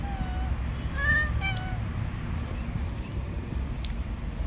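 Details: A friendly orange cat living on the street mews twice in quick succession at the start, short and slightly falling, then quiet low rumbling noise continues.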